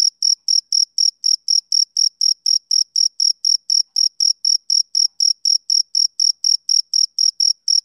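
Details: Male cricket chirping in a steady, high-pitched series of short pulses, about four per second, each a thin bright trill with a fainter higher overtone; no other sounds.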